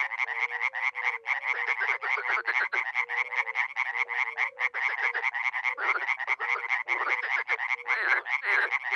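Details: Dozens of frogs and toads at a small pond, Miroslovesti, NE Romania, spring; harsh, fast-pulsed croaking fills every moment, and short low hoots sound in little runs, fading toward the end.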